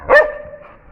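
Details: Sivas Kangal puppy, tested with a bone, lets out one sharp, loud yelping bark that rises then falls quickly, followed by a faint fading tone and a quiet room.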